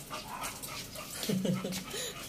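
A Chow Chow lets out a quick run of short, arching whines and soft yips in the second half, the sound of a dog excited for a walk. Faint background noise runs underneath.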